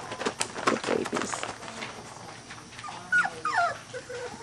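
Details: Three-week-old Weimaraner puppies of the Bravo litter, out of Trixie and Clay, playing together: scattered soft squeaks, then a few thin whimpering cries with sliding pitch near the end, over light rustling.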